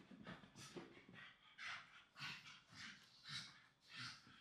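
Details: Two young Staffordshire Bull Terrier siblings play-fighting on a blanket; rhythmic heavy panting, a breathy puff roughly every half second, with low grunting undertones.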